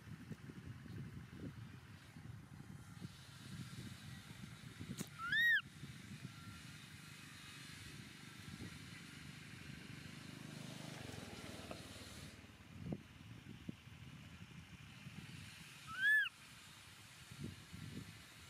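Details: Baby monkey Momo cries loudly on rocks as its father leaves. Two loud arched whining cries, rising then falling, come about eleven seconds apart over a steady engine-like rumble and hiss.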